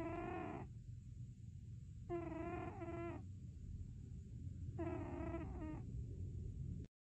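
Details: Cat asleep, uttering Chewbacca-like groans: three bursts of rich, nasal, wavering moans, some broken into two quick parts, spaced about two seconds apart over a continuous low rumble and steady high hum.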